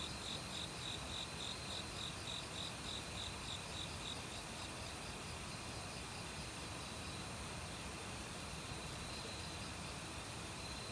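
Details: Autumn crickets in a forest, calling together with assorted other insects, give short high chirps in a rapid pulsed train over the first four seconds, then fade into a steady high hum, all over the loud rush of a mountain stream.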